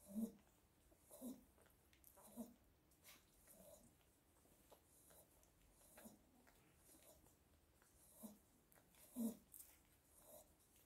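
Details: Biewer Yorkshire Terrier pups, one week old, make scattered soft squeaks and whimpers at uneven intervals. Two louder calls stand out near the start and near the end, over quiet indoor background.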